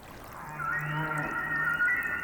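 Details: Male humpback whale singing a tune that males thousands of miles apart, such as off Hawaii and Mexico's Pacific coast, share and evolve yearly; a low held note under rising, gliding whistle-like tones.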